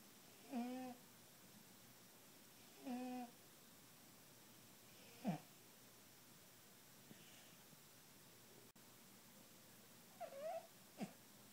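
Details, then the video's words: A British Shorthair cat snores, each breath a brief wheezy, faintly whistling rasp a few seconds apart; its snoring is often loud enough to be heard in other rooms. "Snoring British Shorthair Cat"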